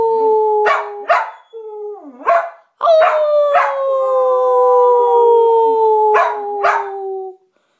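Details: Domestic dog howling in reply to its owner's howl rather than barking: several quick yips and barks open the recording, then a long sustained drawn-out howl gently falling in pitch, ending with two short sharp barks before silence.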